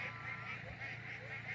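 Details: Frog chorus on a rainy night in Central Queensland's Brigalow region: short, high, repeated notes pulsing several times a second, with a man talking.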